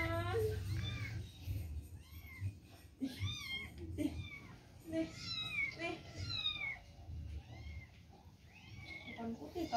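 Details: Domestic cat meowing repeatedly, a series of short rising-and-falling harmonic mews at varied pitches, mixed with people talking nearby indoors and a low background hum.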